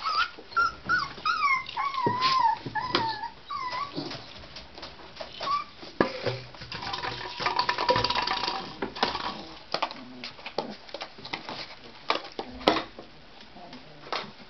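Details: Tibetan Terrier puppies born on October 23 at a kennel give high, wavering whimpers and curling whines in quick bursts over the first four seconds. Scattered clicks, knocks and rustling handling noises follow.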